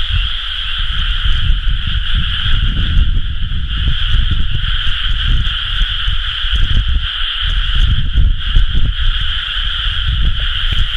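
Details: Frogs chorusing in rice paddies at rice-planting season, recorded 30 May 2011: a dense, unbroken wall of trilling calls in two steady pitch layers, with heavy low rumbling noise underneath throughout.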